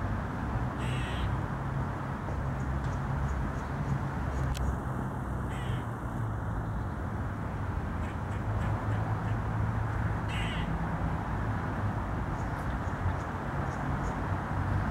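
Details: Grey squirrel calling from a tree in Pearson Park: short, harsh, rasping bursts near one second, around five to six seconds and again near ten seconds, set against a steady low rumble of background noise.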